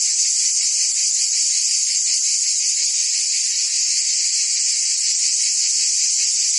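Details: Provençal cicadas in summer in France, a constant high-pitched rasping chorus with a gentle rhythmic pulse running underneath, level and uninterrupted for the whole stretch.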